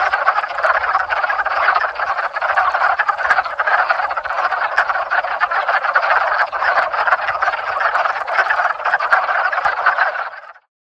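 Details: Frogs massed in a backyard pond during the 2021 mating season produce a constant, dense croaking chorus of rapid pulses that runs for about ten seconds before cutting off abruptly into silence.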